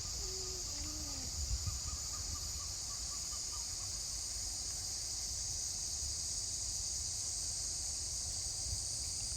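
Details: Cicadas drone in a steady, high, shrill chorus without a break along a bush walking trail north of Brisbane in good weather, with a few faint bird notes, possibly kookaburras, early on and low wind rumble underneath.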